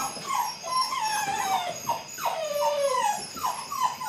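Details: Eight-week-old Belgian Malinois puppies from a litter, beginning bite work; high whining whimpers sliding downward, overlapping in quick succession from several pups, with steady high-pitched background hiss.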